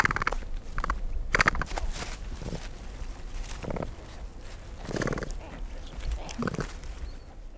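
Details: Capybara making a rapid, irregular series of short, harsh grunts and squeaky, nasal bursts, roughly a dozen, over a continuous low rumbling background.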